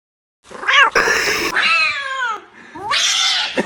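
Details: Domestic cat giving a run of loud meows, each a harmonic call that rises and then slides down, the second drawn out and falling, with a shorter rising meow near the end.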